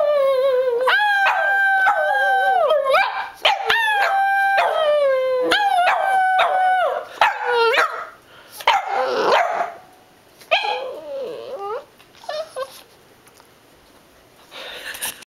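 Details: A male Boston Terrier howls along as his owner sings, drawn-out, wavering tones rising and falling in a sing-song pattern.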